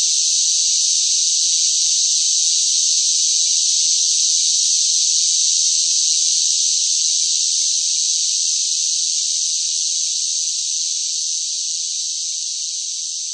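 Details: Loud summer cicadas in intense heat make a sustained shrill buzzing drone that stays constant in pitch, easing slightly in volume toward the end, with no other sounds.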